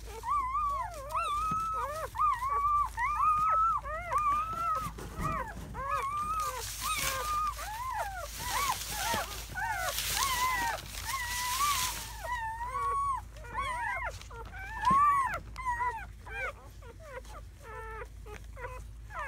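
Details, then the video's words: Seven newborn German Shepherd puppies, four males and three females, in their first hours after birth on May 7–8, 2017, whimpering and whining together in dense overlapping rising-and-falling cries, with a burst of rustling noise midway. "The sounds of 7 newborn German Shepherd Puppies"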